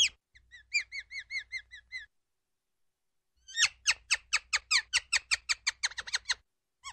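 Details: Ground squirrel giving a short series of shrill, evenly spaced whistled chirps, a brief pause, then a faster run of sharp, downward-sweeping squeaks repeated about four times a second.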